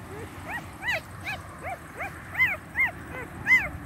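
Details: Newborn Ala shepherd dog (Turkish shepherd dog) puppies, under a day old, whimpering: thin, rising-and-falling whines with clear overtones, repeated roughly every half second, some louder and higher than others.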